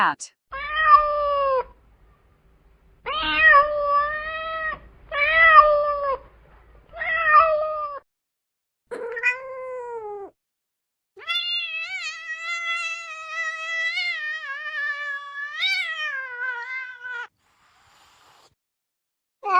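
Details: Cat meowing in a series of drawn-out, harmonic-rich meows, several short ones then a long wavering one near the end, separated by brief silences; some speech in the background.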